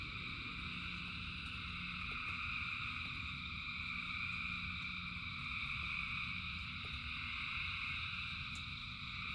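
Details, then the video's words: Frog multitude in rain producing a seamless wall of high-pitched trills in distinct stacked tones, joined by a faint low steady hum and the patter and ticks of rain. "Frogs in Rain 2 Hours of Frogs, Thousands of Frogs Singing"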